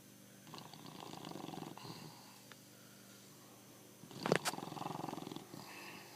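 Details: Snoring from Pancho the bulldog, heard at close range indoors; two rattly, buzzing breaths, the second louder and preceded by a brief sharp noise.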